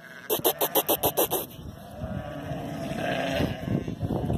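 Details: Sheep worked by the Border collies Zara, Memphis and Bluky: a quavering, pulsed bleat of about eight quick beats lasting just over a second, followed by rustling movement and low background noise.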